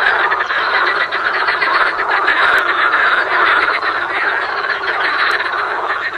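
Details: Frogs in a dense, unbroken chorus of rattling croaks that overlap into a loud, steady wall of sound with no clear pauses.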